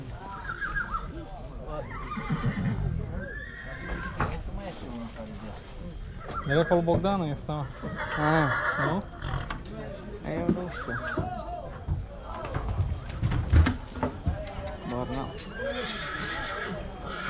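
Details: Heavy draught stallion kept for breeding near Oradea: wavering, tremulous whinnies rise out of a noisy yard, mixed with men talking, repeated shouts of "ho", hoof clatter and faint music.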